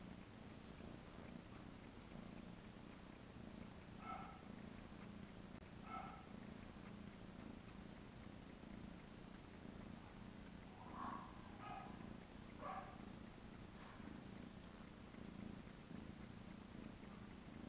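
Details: Kitten purring as it hugs a capybara's head, a steady low rumbling drone throughout, with a few brief higher faint chirping sounds around the middle and later part.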